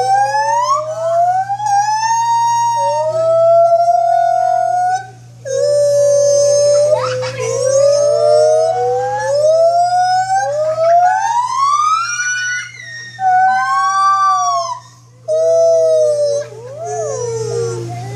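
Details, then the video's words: White-handed gibbon giving long, siren-like rising notes that swell and fall in a sweeping sequence, some notes climbing steeply, with brief pauses between bouts and a constant low hum behind. "White Handed Gibbon vocalizations"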